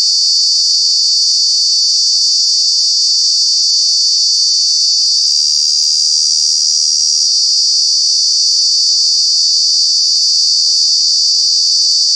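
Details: In Kanha National Park a cicada produces a loud, steady, high electric-sounding buzz; the tone wavers briefly in the middle, then settles back into the same unbroken drone. Cicadas call in summer months.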